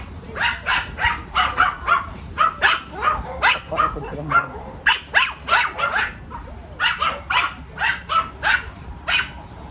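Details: A friendly Chow Chow x Rottweiler dog barks in quick, sharp bursts, about two each second, steady and insistent.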